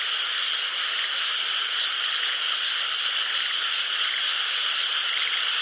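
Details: Frogs calling in a nearby rice field under a crescent moon on 12 May 2016: a dense, steady chorus of overlapping trills forming an unbroken high hiss-like wall of sound.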